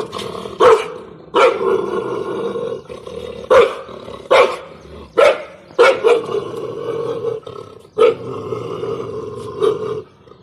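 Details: A dog barks from a terrace at another dog, giving repeated rough barks roughly every second with a rasping growl carried between them over about ten seconds.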